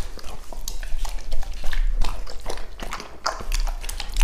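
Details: Two-and-a-half-year-old male English Labrador Retriever named Lucky at mealtime, eating a meal that includes fish, chicken breast and vegetables: loud close chewing and crunching, repeated biting clicks about three per second, a voice briefly heard.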